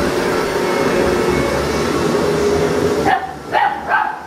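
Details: Female puppy reacting to a vacuum cleaner on first meeting: a steady loud vacuum drone fills most of the clip, then cuts off, followed by three short, high, clipped barks spaced about half a second apart.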